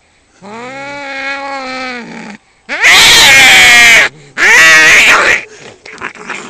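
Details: Fighting domestic cats: a steady low yowl gives way to two harsh, loud screeching bursts of spitting and hissing, then scuffling noises fade out.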